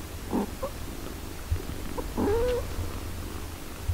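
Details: Domestic cat caring for her six-day-old kittens: a soft low purr with scattered soft thumps and one clear, slightly rising mew about halfway through.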